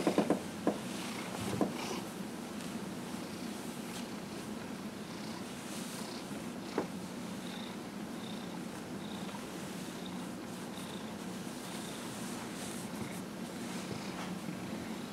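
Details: Steady low purring from Dillard, a 15-and-a-half-year-old pet cat, during a massage on January 31, 2018, with a few sharp clicks early on and faint soft rhythmic breathy puffs over the continuous rumble.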